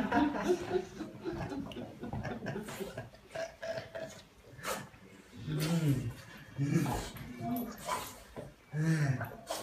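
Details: Indoors, a French Bulldog welcomes its returning owner after a long absence with throaty grunts and wavering whines in several bursts, mixed with Portuguese speech and chuckling.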